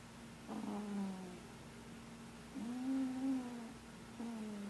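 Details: Marshmallow the cat, asleep and dreaming, gives three soft nasal murmurs, each a low hum that bends slightly in pitch, spaced a couple of seconds apart in a quiet room.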